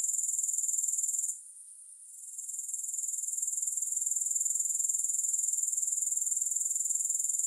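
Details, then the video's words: Grasshoppers, offered as soothing sleep sound without music: a steady, very high-pitched insect trill pulsing about four times a second, briefly dropping away after the first second before resuming at full strength. "Grass Hopper Sounds"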